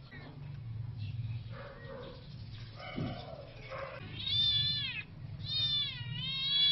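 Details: Sibling Siamese kittens scuffling: low murmuring sounds early on, then two high, bending yowls in quick succession, each wavering up and down, over a steady low background hum.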